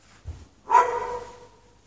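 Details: Single bark from a dog left chained outside in snow without shelter on a night in March 2014, a sharp onset trailing into a brief ringing tone, preceded by a faint low thump.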